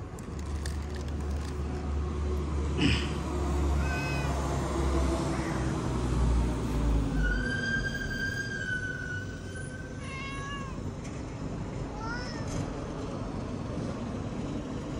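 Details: Pet cat giving a string of meows over a constant low rumble. Short downward-sliding mews are scattered through the clip, with one long, level, nasal meow held for about two seconds midway, then brief rising-falling mews near the end.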